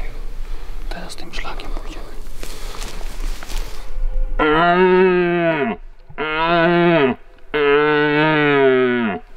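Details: Red deer stag roaring during the rut in the Sudetes hunting grounds: three long, harmonic, moaning roars, each falling at the end, separated by short pauses, after a few seconds of quiet whispered talk.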